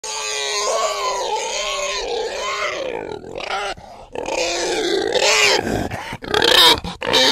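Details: Krškopolje pig, Slovenia's only preserved native pig breed, suited to outdoor rearing: harmonic, wavering squeals rise and fall almost continuously for seven seconds, with a brief dip near the middle and sharp, noisy bursts toward the end.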